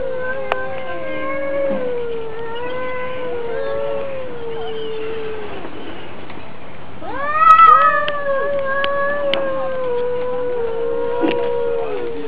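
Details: Cat versus cat fight: low wavering growl-yowls rolling on for several seconds, a louder rising wail after a short pause, then more drawn-out moaning calls with a few sharp clicks.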